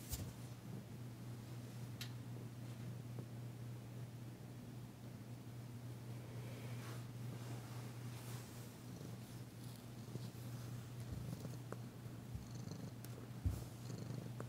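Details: Steady deep purr from Danci, a female cat being massaged on February 9, 2022, tentative yet enjoying it; quiet rustling and a brief knock near the end.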